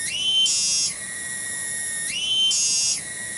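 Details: Cicada singing in a garden at Kampung Bunder, Cibening village, Bungursari, West Java: a loud, shrill, high buzzing drone that surges into a brighter, harsher phase about every 1.6 seconds, then drops back to a steady whine.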